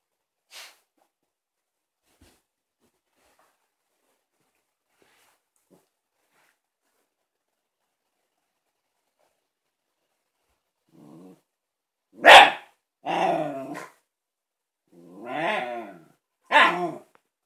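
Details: A female Shiba Inu barks at her new ball. After a near-silent stretch she lets out four quick barks near the end, some sharp and clipped, others drawn out and whiny.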